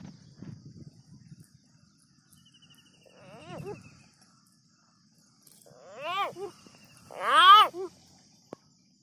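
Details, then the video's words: A frog that has just been caught screams: three harmonic wailing cries, each rising then falling. The last two are louder and longer, near the end. A low human voice is heard briefly at the start. "today we catch a frog it's scream like this"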